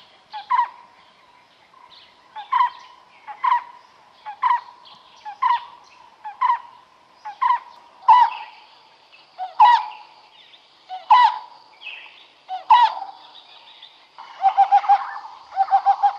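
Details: A smooth-coated otter fishing at the Karnali River, Bardia National Park, Nepal, gives sharp chirping squeaks about once a second, ending in a quick pulsed chatter.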